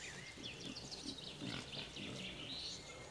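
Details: Wild boar group in the Veluwe, Netherlands, while a sow suckles; five piglets without their mother try to drink and are chased off. High, wavering squeals overlap low, rough grunts throughout, with steady background noise.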